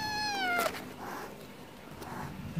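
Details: Stray cat asking for wet food gives a single meow that dips slightly at the end, followed by a quieter stretch of low rumbling background and soft thuds.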